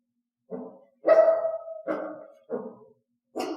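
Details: Domestic dog trained with a clicker to give loud, piercing barks on cue rather than low growls or quiet barks; five sharp barks in two bursts, the second drawn out into a held whine-like note, indoors.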